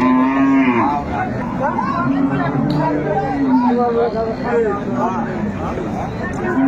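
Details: Dairy cow of an improved breed, kept with her calf at the Ambari livestock market in Dinajpur, Bangladesh, April 2024, gives a drawn-out low moo, then a shorter one midway through, over busy crowd talk.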